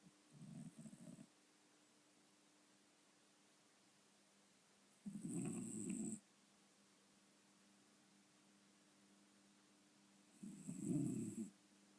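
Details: Snoring domestic cat: three rough, low, rumbling breaths about five seconds apart, each lasting roughly a second, with a faint airy hiss on top and quiet stillness between them.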